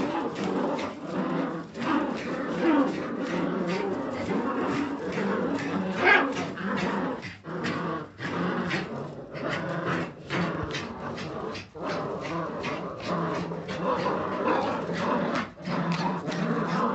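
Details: Jagdterrier puppies from a kennel, a litter vocalizing together in dense overlapping bursts: low growls and grumbling mixed with short whimpers and yelps, continuous chatter with brief pauses throughout.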